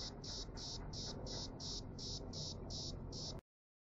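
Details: A cicada in Jerusalem on 6 March 2016, its pearly tymbal membranes visibly working, sings in rapid, evenly spaced buzzy pulses, about three each second, high-pitched and harsh.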